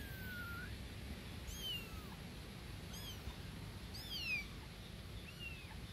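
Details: Newborn kittens calling loudly for their mother cat, a series of thin high meows, some sliding downward, at spaced intervals over a low steady background hiss.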